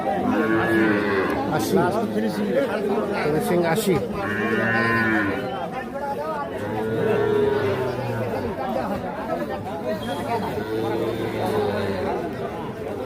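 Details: {'text': 'Young calves, a pair said to be four to five months old, at the Ambari cattle market in Bangladesh on 28 March 2025, low repeated moos every few seconds amid bargaining voices, market chatter and background music.'}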